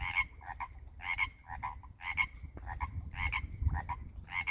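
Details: Frogs, likely tree frogs, calling in spring at a backyard koi pond in the Pacific Northwest installed less than a year earlier. Pulsed two-part croaks repeat about once a second over a steady low rumble.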